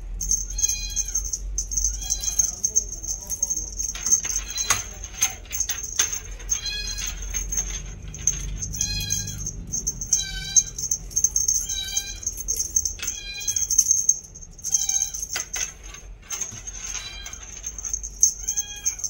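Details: Purebred female Scottish Fold kitten, two months old, with a bi-lilac coat and folded ears, mewing repeatedly: brief, high, slightly arching calls roughly every second. Constant high-pitched whine, scattered clicks and handling noises are also heard.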